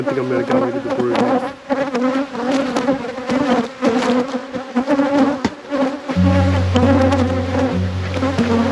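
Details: Loud, dense buzzing of many honey bees in an apiary during an inspection. Near the end a deeper, steady droning tone joins the continuous buzz.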